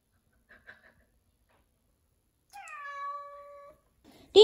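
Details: Indoor-kept Norwegian Forest Cat, found with fleas and given a shampoo bath: one drawn-out meow lasting about a second, held at a steady pitch with a slight drop at the start, then a short burst of noise.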